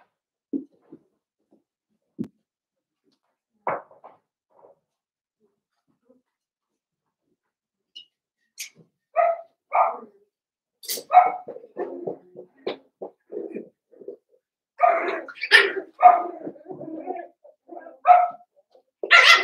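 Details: Blenheim Cavalier King Charles Spaniel puppies from a litter of five in an indoor puppy pen. Sparse faint yips at first, then overlapping bursts of short, high puppy barks and yaps that grow busier and louder toward the end.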